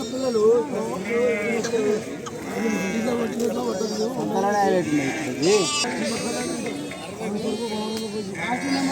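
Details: Bleating sheep amid the crowd at Pebbair market, Telangana: tremulous, nasal cries with curving pitch, several overlapping, while traders talk continuously in the background.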